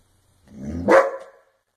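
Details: German Shepherd in Haryana, India, giving a single short bark that swells and falls within about one second, harsh and mid-pitched, indoors with no other sounds around it.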